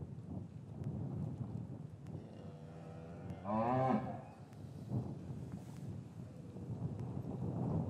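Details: A short, rich moo from a cow in a traditional English cattle yard in winter, with calves separated from their mothers. A steady low rumble of background noise continues throughout.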